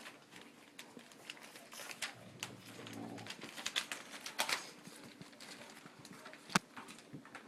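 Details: Four-week-old English Cream Golden Retriever puppies playing just before lunch indoors; a low, grumbling growl-like vocalization rises mid-way, surrounded by scuffling, clicking claws and rustling, with brief human voices nearby.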